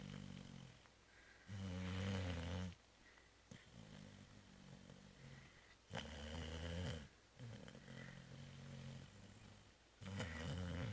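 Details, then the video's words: Zoé, a pet cat sound asleep after Christmas Eve dinner and Christmas brunch, snoring indoors: low, rasping breaths swelling and fading about every four seconds, with quieter wheezy exhales between. "Zoé ronfle 2"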